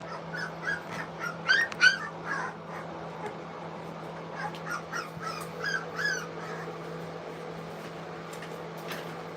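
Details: Three-week-old English Cocker Spaniel puppies eating food for the first time, making bursts of high, thin squeaky whimpers that come in quick clusters, over a steady low hum in the background.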